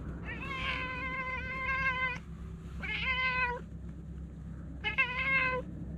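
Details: Stray cat known for talking, voicing three long, loud, sustained meows, each held steady for about a second and then dropping off, with brief pauses between and a quiet low hum behind.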